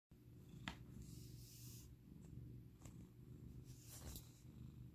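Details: Senior female foster cat indoors in Seattle, purring while being praised. A low, steady rumbling purr runs throughout, broken by a few faint clicks and rustles.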